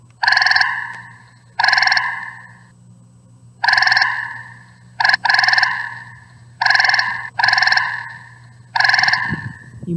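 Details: A gray tree frog, a species found in the Fort Worth area, gives loud, musical trills, each about a second long, repeated every couple of seconds, played from a sound card device.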